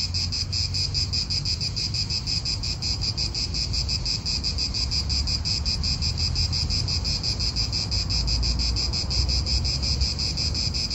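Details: In an Italian park, cicadas keep up an unbroken high rasping drone with fast rhythmic pulses, while wind and nearby cars add a low rumble.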